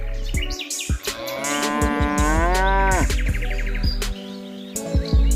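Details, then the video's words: One long, deep cow moo on a farm, swelling and then falling away at the end, with sharp clicks and a low steady hum around it. "wild animal sound_cow"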